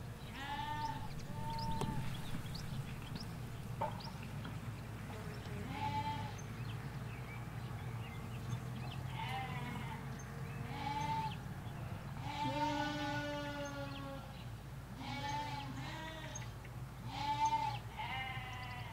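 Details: Ewes and their lambs in a field in the Hampshire countryside, recorded in stereo beside a hedge: repeated wavering bleats, several overlapping voices of differing pitch, some long and quavering, over a steady low rumble of distant traffic.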